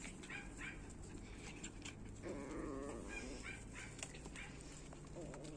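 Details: Puppies from the two litters of Orlanda and Lana make a drawn-out, wavering whine that swells for under a second, among soft scrabbling and rustling of small paws.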